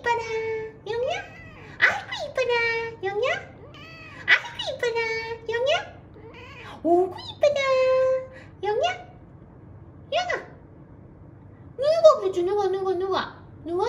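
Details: Tiny rescued kittens, found weak and huddled together on the way back from a family funeral. A steady stream of loud, high meows follows, many short and falling, a few rising sharply. The calls come in quick succession with brief gaps, indoors.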